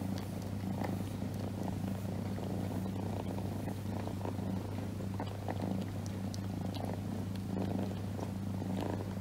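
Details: Pet cat lying on its owner's lap and purring: a continuous, even low-pitched rumble with soft pulsing, accompanied by light rustling and small clicks.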